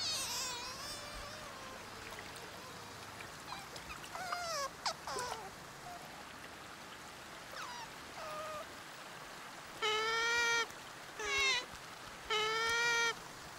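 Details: Sea otter giving a run of high, harmonic squealing calls, some sliding up or down in pitch, ending with three longer, steady, strained squeals about a second apart over a soft background hiss.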